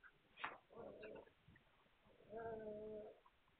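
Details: Two drawn-out tonal whimpers from Hungarian Vizsla puppies, recorded 9 March 2021, the second longer and steadier, separated by a sharp click.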